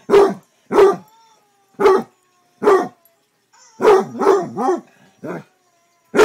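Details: Male Basset Hound barking: a series of loud, deep, abrupt barks roughly one per second, then a quick cluster of three or four barks, in an otherwise quiet room.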